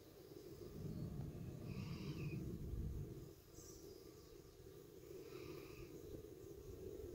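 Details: Honey bees at a hive entrance make a dense, low, continuous hum, with faint bird calls behind, at 5:15 pm, 45 minutes after robbing.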